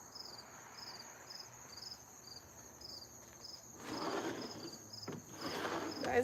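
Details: Cricket chirping outdoors in cool weather: high pulsed chirps repeat steadily for a few seconds, then are partly masked by louder clattering and rustling household noise.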